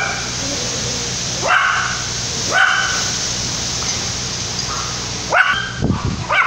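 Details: A Yorkshire Terrier puppy in La Paz, Baja California Sur, Mexico, during Tropical Storm Lidia, 2017, gives a few separated yappy barks, spaced about a second or more apart, half masked by a loud rushing hiss of wind and rain.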